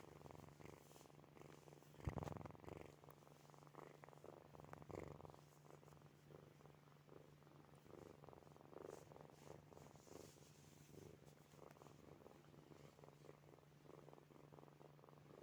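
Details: Purring from sleeping kittens named Snowy, Furry and Zoe, a soft continuous throbbing rumble rising and falling with breathing, a brief louder rustle near two seconds, faint steady hum beneath.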